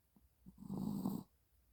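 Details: Maltese dog snoring in its sleep on 25.1.30: a few soft breaths, then a single rough, vibrating low snore of about half a second that fades out.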